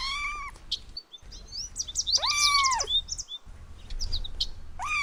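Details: Kittens playing with pine cones on grass outdoors give arched, high meows, one longer mew in the middle, amid busy twittering chirps of birds and a steady outdoor background hiss.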